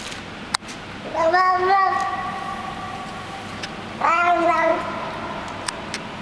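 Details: Street cat fed in a garage basement, making 'happiness' noises as it eats: two drawn-out, harmonic, slightly wavering calls about three seconds apart over a low steady hum.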